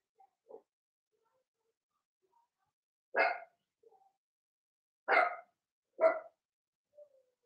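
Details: Blenheim Cavalier King Charles Spaniel puppies, Remy's first litter of six, indoors in their puppy pen: three sharp, high barks a second or two apart, with faint squeaks and whimpers between them.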